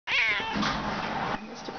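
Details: Cuddly, very vocal young male cat who loves everyone, indoors: a loud, bright drawn-out meow, rising then slowly falling and fading into a softer trailing tone, with a woman talking quietly nearby.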